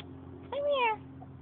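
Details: A Siamese cat met by chance gives a single drawn-out meow, rising then falling and lasting about half a second, with a person's quiet coaxing voice nearby.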